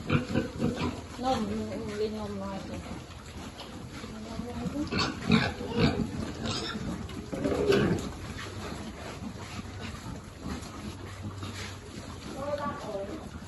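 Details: Piglets being fed on a pig farm where many animals have lived for generations, some taken in after being abandoned or disabled. Rough broadband grunting bursts cluster around the middle, with harmonic voices early and late.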